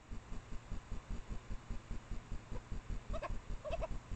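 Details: Japanese badger pair, female in heat and male, mating out of sight near her sett in secondary woods at midnight in late April, caught by trailcam; rapid low throbbing pulses run throughout, then a few short, higher yelping notes near the end.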